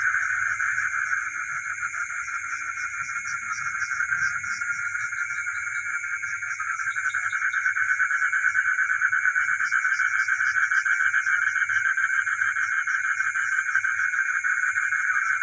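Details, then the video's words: Frogs calling at night in a village: a dense, unbroken chorus of pulsing mid-pitched trills, with a steady high shrill band above and faint low rumbles beneath. "the sound of frogs and geckos at night in the village"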